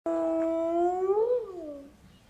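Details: One of two captive hyenas at Zoo Leipzig gives a long, tonal, rich-harmonic call, held level, rising slightly, then sliding down and fading over about two seconds in a quiet enclosure.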